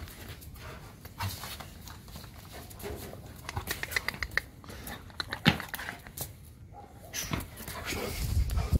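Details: Evo, a German Shepherd dog indoors in a small room, excited and happy to see its owners return: scattered short broadband bursts, breathy panting-like noise and a few thin whine-like tones in the middle, with faint room noise throughout.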